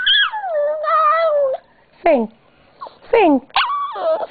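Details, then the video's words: A Yorkie-Papillon mix dog singing on request, giving long wavering howls that slide down, then short yelping whines and a final rising howl, with a person repeatedly saying "sing". "My Dog Lola is one singing BITCH! Woof!"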